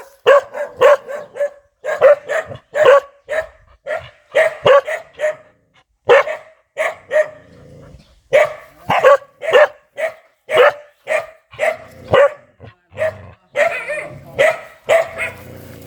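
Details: Fierce dog barking nonstop in rapid, fairly even bursts, often two or three barks close together, with short pauses between runs and a rougher, noisier stretch near the end.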